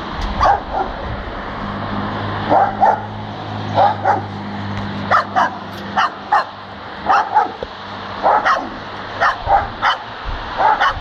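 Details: Dog spinning in circles while barking, met by chance on a walk home: short sharp barks in pairs and small clusters roughly every second or so, over a steady low engine-like hum.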